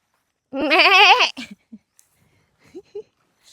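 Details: Sheep on a mountain outside, with rain threatening after ten o'clock. A single loud, quavering bleat lasts nearly a second, its wobbling tone shaking steadily. Short bits of people talking follow.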